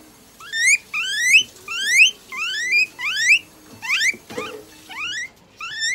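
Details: Guinea pig under veterinary care in Nagoya, Japan, receiving eye drops, an injection, light therapy, moisturizing and brushing. It utters eight shrill upward-sliding wheeks, roughly one every second, some doubled, over a quiet clinic room with a faint thump.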